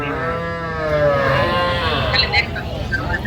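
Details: Cattle, small young bulls and heifers bought by a young woman farmer returned from Saudi Arabia: one long, steady moo rising slightly in the middle, followed by voices and crowd chatter.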